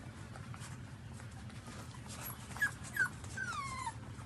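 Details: Newborn puppies suckling from their mother, giving a few short high squeaky whimpers and a longer descending whine near the end over low steady background rumble.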